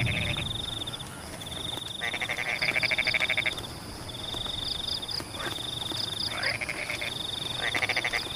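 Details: Frogs in rice paddies during rain: loud grating pulsed calls from two to three and a half seconds, then shorter bursts, set against an unbroken high-pitched insect drone, faint triple chirps and soft rain hiss.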